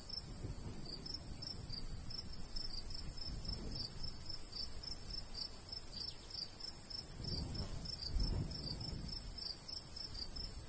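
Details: A cricket chirps steadily in high, evenly spaced pulses over a low rumble of light breeze, in a golden wheat field in summer countryside.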